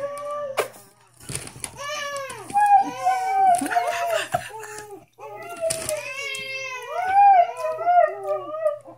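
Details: Pet Siberian Huskies singing and talking indoors, a drawn-out woo-woo vocalising: wavering, rising and falling howl-like yodels with rich overtones, broken into bursts with a short pause mid-way, scuffling noises between phrases.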